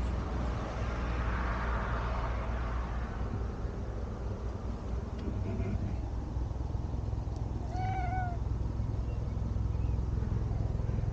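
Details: Domestic cat giving one short, clear meow late in the recording, a brief bending tone with bright overtones, set against a constant low rumble that fills the rest of the recording.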